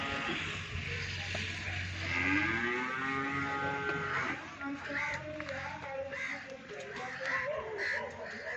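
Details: Friesian–Cholistani cross cow in Pakistan, offered for sale; a long, low lowing moo rises then sinks over about two seconds, followed by scattered farmyard calls and background chatter.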